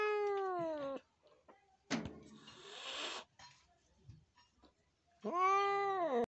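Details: Injured cat acting aggressively: a drawn wail falling at the end, a long breathy hiss, quiet pause, then a rising-falling yowl cut off sharply; a person murmurs.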